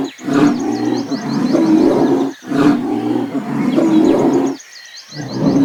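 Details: Lion roaring in deep, rasping bursts of about two seconds each, three bursts separated by brief pauses, while small birds chirp and twitter steadily at a high pitch in the background.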